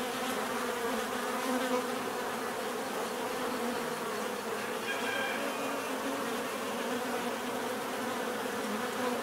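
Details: Natural buzzing of bees, many wings humming together in a continuous even drone, layered tones that waver slightly, with a faint higher whine around five seconds.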